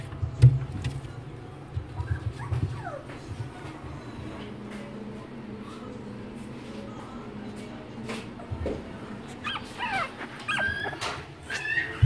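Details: A black Shih Tzu puppy, described as very gentle, gives soft whimpers and short high yips over a steady low hum.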